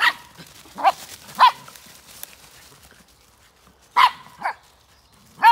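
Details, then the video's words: A dog barking in woods still dark before dawn on 17 December 2020: six sharp, loud barks in irregular bursts, a quick pair, a long quiet gap, then another pair and a final bark, with the rest of the woodland quiet. "Dog barks disrupted tranquility"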